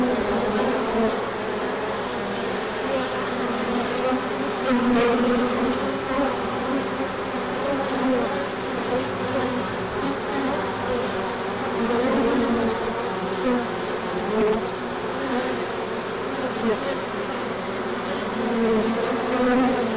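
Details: Large orientation flight of bees at the hive as the sun comes out after colder days, pollen arriving; an unbroken droning hum with passing whines rising and falling throughout.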